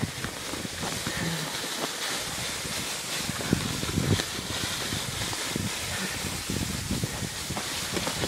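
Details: Wind buffets the microphone outdoors in a rural setting, with brief bursts of a person talking and no animal voice standing out.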